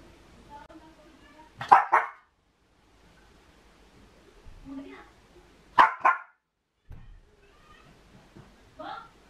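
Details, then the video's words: Miniature Pinscher with separation anxiety, alone at home, gives quick double barks, two sharp yaps in close succession, repeated after about four seconds, with softer whines and quiet room sounds between bursts. "SEPARATION ANXIETY- How my Dog is Acting When i Leave Her Home Alone | Miniature Pinscher"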